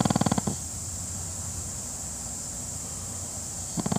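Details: Napping Pekingese snores with a rapid, fluttering low rattle on each breath.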